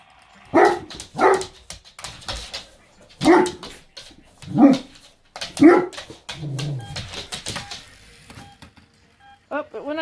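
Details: Dog barking near a green-gold Mustang car: five loud, sharp barks in two bursts over about six seconds, then a lower growling whine, with human speech and short high squeaky sounds near the end.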